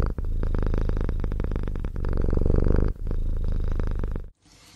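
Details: Kitten from a cute cat compilation purring close up, a deep, rumbling, rapidly pulsing purr held for about four seconds before cutting off suddenly.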